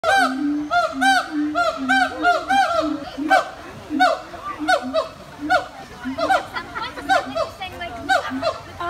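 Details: Captive gibbons at Disney's Animal Kingdom calling together in loud, rising and falling whoops that overlap in a rapid chorus, recorded 24 November 2019; finding: Gibbon.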